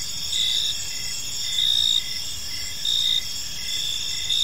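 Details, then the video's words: Crickets chirping in a park during the evening: loud high chirp bursts recurring about every 1.2 seconds over a constant background trill of other crickets. "Cricket Sounds in a Peaceful Park"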